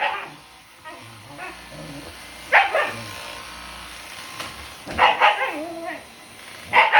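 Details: Shiba Inu × Siberian Husky mix dog, worked up by a Dyson vacuum cleaner, letting out short harsh yelping barks with bent, whine-like tones, in bursts roughly every two to three seconds with quieter murmuring between.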